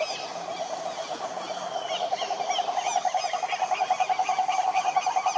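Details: At a Brazilian Atlantic forest lake, Rhinella marina toads keep up a low pulsed trill that grows louder partway through, while many short, higher chirping calls from other animals scatter over it.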